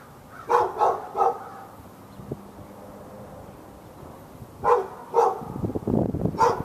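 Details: Dog barking through a fence at the dog next door, Raleigh, North Carolina, February 15, 2012, during a morning-to-afternoon barking spell; a quick run of three barks, a pause, then three more with some rattling noise.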